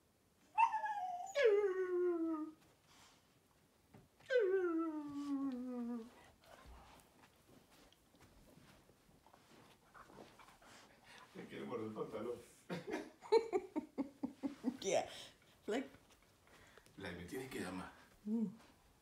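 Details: A Siberian Husky howls during play, as the owner urges him to play with his toys and to speak, giving two long howls that slide downward, then a run of choppy, talkative yowls.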